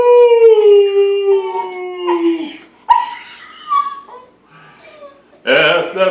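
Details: Schnauzer howling along to the national anthem: a long tonal howl sliding slowly downward over about two seconds, then broken, wavering voice sounds and a loud burst near the end as the anthem continues.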